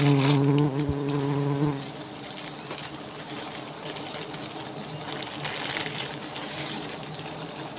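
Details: Wild honey bees from a large, well-hidden nest built under leaves in forest, disturbed during a honey harvest; a steady, dense buzzing hum with a strong low drone in the first two seconds, then continuous swarm buzz with occasional clicks and handling noise.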